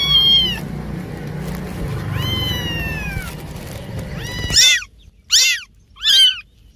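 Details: Cat meowing in a compilation of cats and kittens: a long wavering meow, then a rising drawn-out meow, then three short sharp meows in quick succession near the end, with low background rumble under the first half.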